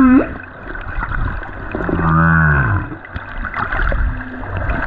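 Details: A lone male humpback whale sings on the Silver Bank in February 2023: a brief rising whoop, then a deep, rich moan that swells and sinks.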